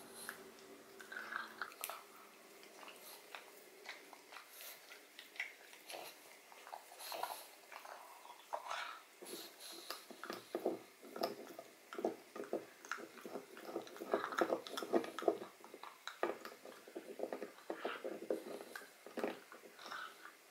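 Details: Odin the pug gnawing a marrow-filled bone indoors in a small room, a dense run of crunchy, wet bites and cracks packed closely together, growing busier and louder in the second half, with soft breathing between bites.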